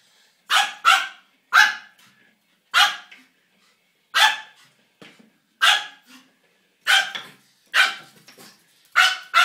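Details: Pomeranian playing with a toy hamster, giving sharp high-pitched barks singly and in quick pairs, about ten in nine seconds, with short pauses between bursts; no other sounds.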